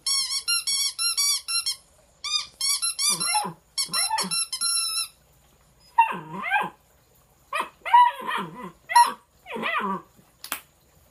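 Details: Young Bluetick Coonhound puppy, 12 weeks old and weighing about 12 pounds, near an opossum and a frog; thin high-pitched whines in fast strings give way to lower, wavering yowls and short yelping barks.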